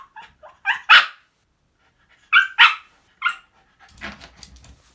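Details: Pet Shiba Inu Moko, a dog given to daily mischief, barking indoors: short, bright yaps in small clusters, a louder pair in the middle, then a rustling noise to finish.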